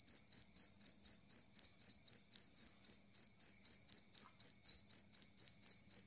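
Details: Two-spotted cricket (jangkrik kalung) singing a clear, loud chirp, said to drive away rats; high, pure pulsed chirps repeated about four times a second in a steady rhythm, no other sounds.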